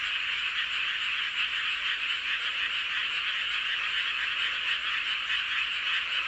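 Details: Many frogs calling together in a dense night chorus under a full moon in Seowon-myeon, Hoengseong County, Gangwon Province, South Korea; continuous overlapping croaks and trills form a steady, pulsing wall of sound with no other clear noises.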